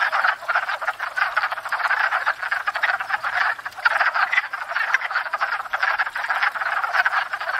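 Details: Pond chorus of wood frogs in spring during courtship and breeding, filmed from a fixed tripod: many overlapping quacking, clucking croaks rising and falling in intensity, calling continuously.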